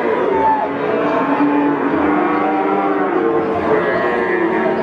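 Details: Peranakan Ongole bulls at Pasar Pon livestock market in Ambarawa, Central Java, Indonesia; long, drawn-out moos overlap continuously beneath steady crowd chatter and market bustle.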